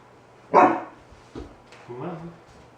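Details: Indoors, 4-month-old Alaskan Malamute puppy Kai, terrified of a balloon, gives a single loud bark, then a short soft sound and a low, drawn-out growling whine lasting about half a second, while being coaxed with treats.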